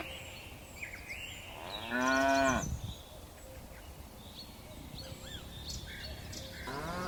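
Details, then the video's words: Dozens of docile cattle descending a hillside on mountain slopes. One loud moo of under a second, then a second moo beginning near the end. Scattered high bird chirps fill the quiet gaps. "Suara lucu sapi moo"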